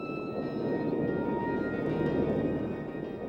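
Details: Dark, sustained ambient music with steady droning tones fills the clip, with no animal voice.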